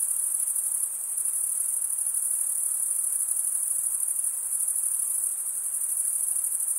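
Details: Stridulating male crickets produce a steady, very high, buzzing trill that barely varies over several seconds, many insects blending into one continuous chirping wash, nothing else audible.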